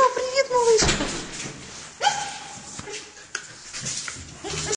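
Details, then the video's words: Samoyed greeting and playing with an Australian Shepherd, giving high whines that slide downward, then a short rising whine near two seconds, mixed with scuffling and a human voice. "сколько радости🥰"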